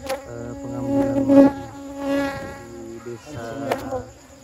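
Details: Close, loud droning of honey bees disturbed while their honey is taken from the nest in a village; strong steady humming tones that swell around the middle, then dip and return, with a sharp knock near the end.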